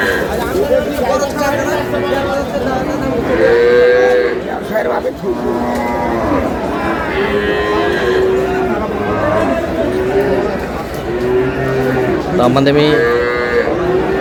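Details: Cattle market at Aftabganj, Dinajpur, with cows and calves on sale, May 19, 2026: many short, overlapping lowing calls from several animals in quick succession, mixed with busy crowd chatter and voices.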